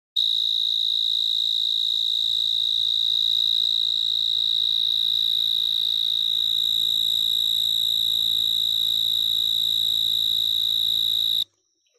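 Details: Cricket calling: a loud, unbroken, high-pitched ringing trill held steady for about eleven seconds before cutting off abruptly, with no other clear sounds.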